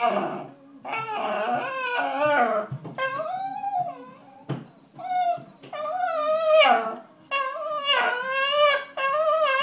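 A Cairn Terrier whines and cries in long, wavering, rising and falling tones, begging for food.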